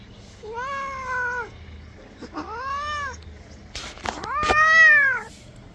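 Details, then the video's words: Domestic cat during a bath, said to be angry, lets out three arched, plaintive meows roughly a second apart, the last loudest, with brief splashing or handling noises just before the final cry. "Cat bathing"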